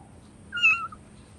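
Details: Single short, high meow from a hungry cat asking for food, a clear tonal cry lasting under half a second against quiet background hum.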